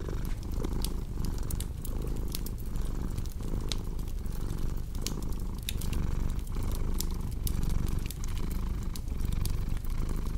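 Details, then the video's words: Domestic cat purring steadily beside a crackling fireplace, a deep low rumble pulsing in quick breath cycles roughly twice a second, with sharp scattered pops and snaps of burning wood over the top. "Purring Cat with Cozy Crackling Fireplace Sound"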